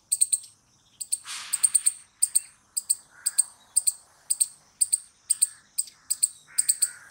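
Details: Squirrel calling with clipped, piercing chirps, mostly doubled or tripled, in a steady run of about two bursts per second; a brief hiss near the start and faint lower notes behind.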